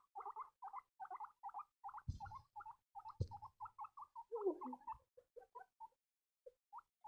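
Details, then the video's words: Young guinea pigs give a string of short, bright squeaks in quick pairs and triplets that thin out toward the end. Two dull bumps break in midway, and a lower, drawn-out squeal follows. "piepende baby cavia's geluiden"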